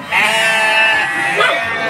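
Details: Young Garut breeding-stock sheep in a pen at Cibuluh, Garut, Indonesia, said to be noisier than rams: one loud, harmonically rich bleat lasting about a second, then a second shorter bleat.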